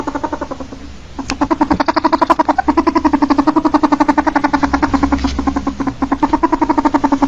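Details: A domestic ferret (Mustela putorius furo) gives a rapid, steady run of soft, throaty clucks, like a fast chuckle.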